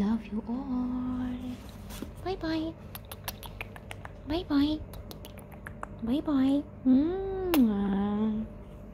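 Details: Persian cats kept as pets indoors give a series of tonal meows, some drawn out flat and others arching up and down, about six calls over nine seconds, with a steady low hum and brief clicks and human voice between them.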